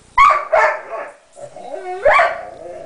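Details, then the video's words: Indoor pet dog crying over a guarded chew bone after another dog took a small piece; loud yelping whines that rise and fall, two main bursts with a wavering moan between, owner's encouraging voice nearby. "crying over his 'guarded' chewy"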